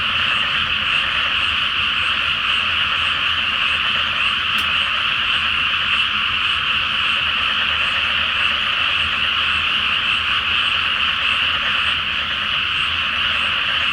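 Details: At night in a water-covered rice paddy before planting, under the full Flower Moon, a huge frog chorus croaks continuously and evenly, one brief sharp click near the start.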